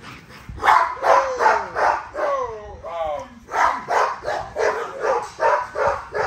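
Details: Nyla, a female XL ghost tri American Bully, during a workout: rhythmic bursts about three per second, broken in the middle by a run of whiny, wavering sliding tones, then steady pulses again.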